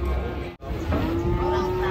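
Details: Angry cattle in Indonesia: a brief break in the sound, then a sustained moo starts and holds steady while people talk nearby.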